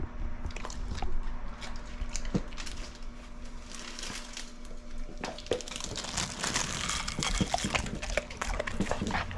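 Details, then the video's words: Ace, a pet pit bull, devouring dried shrimp in a small room; clusters of crisp crunching bites alternate with quieter gaps, all over a faint constant electrical hum. "Pitbull Tries Shrimp (ASMR)"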